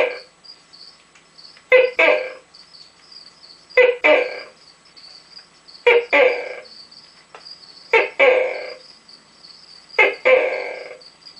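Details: Captive male Tokay gecko giving his first calls of the night from inside his enclosure, a series of about five two-part croaking barks spaced roughly every two seconds, over a steady high insect-like hiss.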